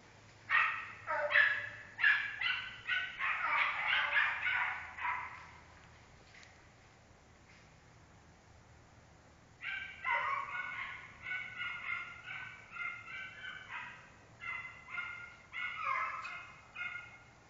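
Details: American Foxhound giving a rapid series of loud baying barks, a dense burst of overlapping calls, a quiet gap, then another run of shorter harmonic bays; low hum in the background.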